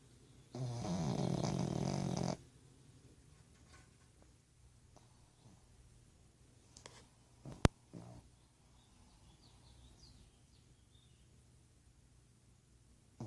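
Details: Pug called Ozzy asleep and snoring aloud: one long, coarse snore of nearly two seconds, followed by quiet with scattered clicks, a sharp tap and light rustling.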